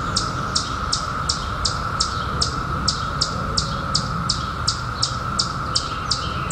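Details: Periodical cicadas in 2021, emerged after 17 years underground, fill the air with a steady, unbroken droning chorus. Sharp high ticks repeat about three times per second over a rumbling low background.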